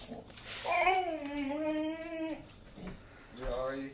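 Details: Pet Boxer dog, dramatic and still begging after being fed, whines indoors: one long, sustained, wavering whine nearly two seconds long, then a shorter rising whine after a pause, with faint background rustling.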